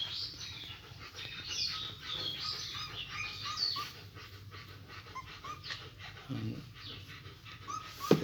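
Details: German Shepherd puppies in a litter of four, being fed milk by hand, give high-pitched squeaky whimpers and short rising yelps in quick, uneven runs, with a steady low hum and some handling noise behind.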